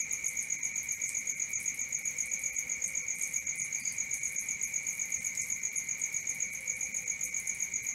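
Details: Crickets at night chirping in a steady, fast pulsed rhythm, about four pulses a second, with a constant high shrill tone layered above a lower ringing tone. Nothing else stands out.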